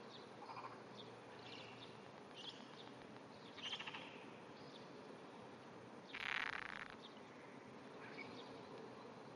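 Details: Japanese wrinkled frog calling from under grass at 5:30 am on 16 June 2009, trembling with small vibrations; several short pulsed rasping bursts, one louder burst near the end, over steady background hiss.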